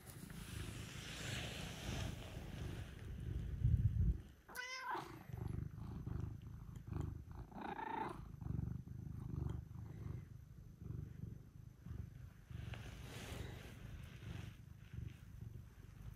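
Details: Domestic cats arriving at dawn to wake the person who keeps them; continuous deep purring throbs throughout, interrupted once by a brief meow around the quarter mark, alongside a soft human greeting and shuffling sounds.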